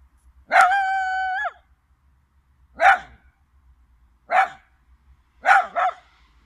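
A Chinese Crested dog gives one steady, second-long crowing howl, then three short yelping barks about a second and a half apart, the last one doubled.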